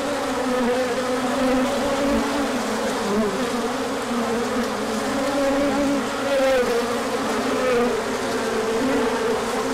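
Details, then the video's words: A big orientation flight of honeybees on a sunny spell following cooler days, with plenty of pollen brought in afterward; a low, constant buzzing chorus, occasional brighter wing tones rising briefly above it. "Large Orientation Flight."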